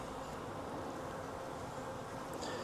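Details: Wild honey bee swarm hanging from a tree branch, being collected into a 5-frame nuc box: a dense, steady, low humming buzz of many bees continuing throughout, with a brief faint high click near the end.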